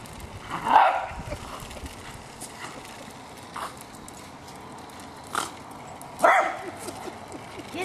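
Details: A pet Jack Russell Terrier named Hali goes after a remote-controlled car with two loud, abrupt barks roughly five seconds apart. Quieter scuffling fills the gap, and people's voices sit in the background.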